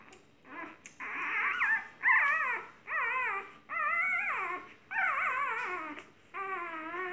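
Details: Golden retriever Nyusya whimpering indoors: six drawn-out, wavering whines, each sliding downward in pitch, separated by short pauses, the later ones longer and more plaintive.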